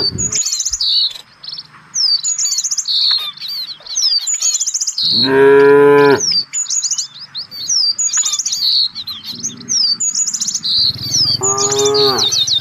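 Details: Busy birdsong of rapid chirps and trills dominates, with two loud moos from village cattle searching as a herd for fresh grass, one midway and one near the end.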